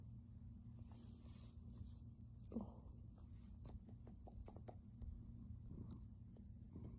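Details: Purring from a silver grey male cat kneading, making biscuits, on a blanket in his owner's lap and leaning in for kisses; a continuous low rumbling drone with scattered small clicks and a soft thump midway.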